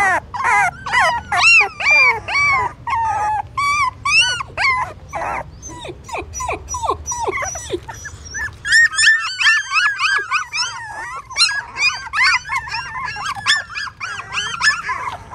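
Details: Hungry newborn puppies feeding on their mother's milk inside a pagoda stupa in Siem Reap, Cambodia; loud, sharp squealing yelps repeated about twice a second, later merging into a crowded, wavering whimpering chorus.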